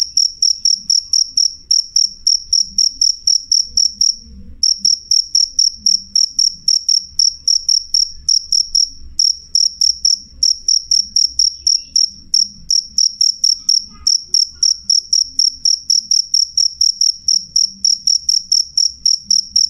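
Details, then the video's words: Cricket (jangkrik) chirping loudly and clearly: sharp high-pitched chirps repeated about four times a second in a steady run, with one short pause near the start and faint low rumble beneath. "suara jangkrik jernih keras"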